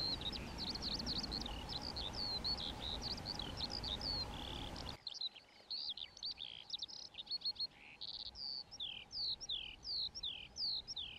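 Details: Colonial, day-active European ground squirrels (Spermophilus citellus) calling: quick overlapping high whistles, then after an abrupt cut, cleaner separated down-slurred whistles at irregular intervals against a quieter background.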